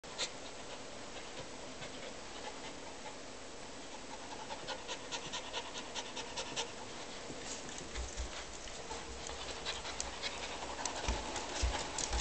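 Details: Frightened dog panting hard during a storm: rapid, raspy breaths repeated almost twice a second, steady throughout, over a constant hiss of background noise.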